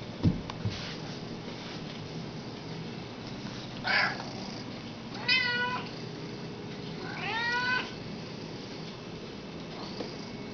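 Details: Two pet cats, Belle and Hobbs, talking indoors: three separate meows around four, five and seven seconds in, the middle one a rising-falling harmonic call, the last a longer drawn-out wavering meow, over a quiet room hum.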